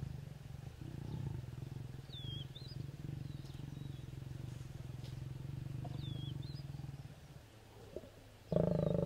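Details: Pair of wild lions mating near Kecheche Valley Camp, Naboisho Conservancy, Maasai Mara, including a fine male. A deep, pulsing growl rumbles steadily for about seven seconds, then fades. Thin bird whistles sound above it, and a sudden loud noise comes at the end.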